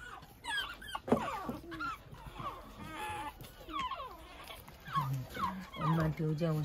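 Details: Pekingese puppies (baby Pekingese) out early in the morning, tumbling about; one whines in thin, high, wavering squeals that rise and fall in quick bursts.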